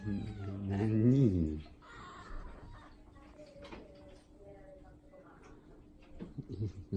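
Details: An affectionate, attention-seeking house cat, the most clingy of the household and often vocal, gives one low, wavering meow with a brief pitch rise and fall in the first second and a half. A woman speaks Japanese, with faint indoor knocks.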